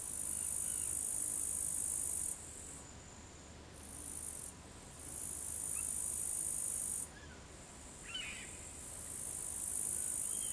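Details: An upland green bush-cricket (Tettigonia cantans) sings a high, dry, continuous buzzing trill, broken by brief pauses, at 15:20 in the afternoon on 4 August 2013 in Savonlinna, Finland.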